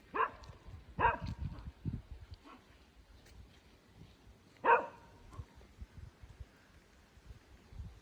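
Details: Pet dog barking at a tractor outdoors: three sharp barks, two quickly in a row and one a few seconds later, over low rumbling engine noise.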